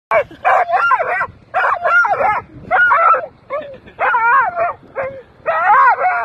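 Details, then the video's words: A dog going wild at seagulls barks in rapid, excited bursts of two or three harsh, mid-pitched barks with brief pauses between, some edging into yelps. "Dog going nuts, barking at seagulls"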